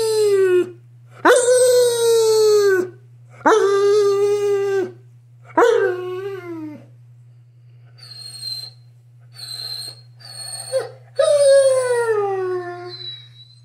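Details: Great Pyrenees dog talking in a long series of drawn-out, howl-like moans, each note sliding up then falling, some higher and squeakier whines between, over a constant low electrical hum.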